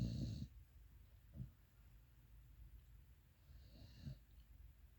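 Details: Pit Bull asleep, a short low snore opening the stretch, then soft, faint breathing rumbles around the middle and near the end, with quiet pauses between.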